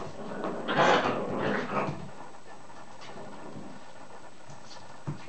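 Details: Whippet puppies not quite seven weeks old playing together indoors; a brief broadband yelping, growly burst near the first second, a softer second outburst, then quiet scuffling and faint rustles.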